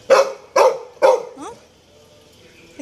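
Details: Toby, a Labrador Retriever, barks three times in quick succession, roughly half a second apart, each bark loud and broad, then gives a short rising whine before quiet returns.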